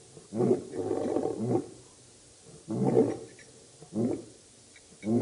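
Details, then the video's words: Low grunting roars from the Birmingham Boys lion coalition at a dam, Djuma Game Reserve, Sabi Sand, South Africa, August 2016: two rough, throaty bursts, then two shorter grunts, quieter than a full roar. "Birmingham Boys roaring at the dam"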